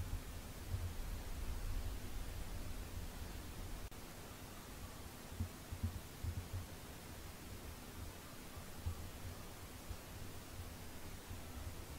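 Only a steady low hiss and muffled rumbling thumps are heard, with no animal voice.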